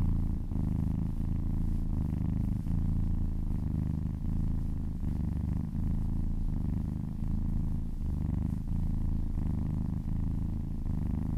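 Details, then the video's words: Cat purring loudly and steadily as it gets a massage, a dense low rumble with regular soft pulses of inhaling and exhaling across the whole stretch. "Cat massage ASMR | Purring kittens ASMR"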